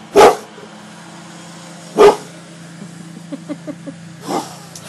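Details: House dogs Gia the cane corso and Deuce the bullmastiff barking on command during a trick session; three strong single barks about two seconds apart over a low hum, with faint light clicks between them.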